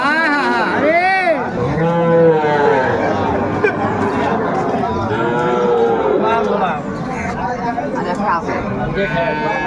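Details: Small Sahiwal bull calves wait for sale at Ambari market, 18 May 2024. A loud wavering calf moo opens, followed by fainter lowing, while sellers and buyers talk and haggle over the price throughout.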